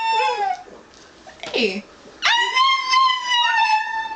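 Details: Pet dog Bonny howling together with a person; a short wavering howl, a sliding human-like wail, then a strong steady howl rising and holding rich harmonics to the end.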